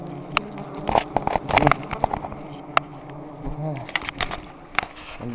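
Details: Swarm of giant honey bees buzzing around a high nest during harvesting, a continuous droning hum underneath scattered sharp taps and cracks, with male voices speaking now and then.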